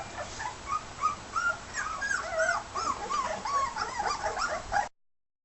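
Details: Several 18-day-old red and white border collie pups at a solid meal: a busy chorus of thin, wavering whimpers and squeals overlapping continuously, some sliding up and down, before ending abruptly in silence.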